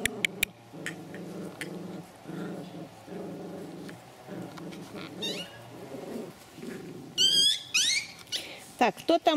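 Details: Pomeranian dogs from a Kyiv kennel at mealtime: short rumbling growl bursts repeat about once a second, followed by sharp high squeaky whines and yelps, with a woman talking softly to the dogs.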